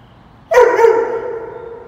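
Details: Dobermann named Roman during a walk in the rain gives a single abrupt bark with a bright harmonic ring that trails off gradually for over a second; no other clear sounds.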